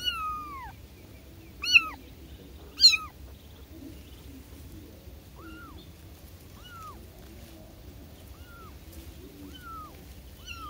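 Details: Newborn kittens calling their mother; thin, high, falling mews, two louder cries early, then softer, evenly spaced mews about every second and a half in a quiet room.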